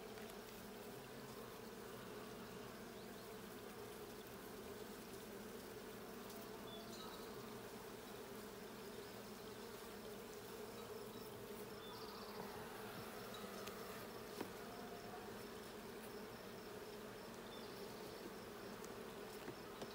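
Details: A long, unbroken buzzing drone of bees in a blue hive during a hive check on June 20, 2022, rich and layered, with only a single faint click.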